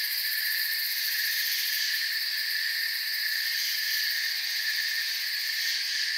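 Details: Forest crickets in full chorus, a constant high trilling hum built from several stacked shrill tones that barely waver over six seconds, with no breaks and no other clear sounds.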